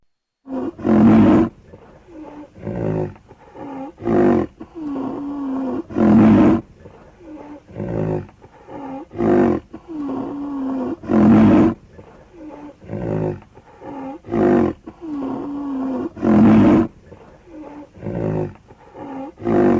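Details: A rhinoceros sounds off in a steady series of loud, gruff roaring bursts roughly every two to three seconds, with low, droning moans filling the gaps between bursts.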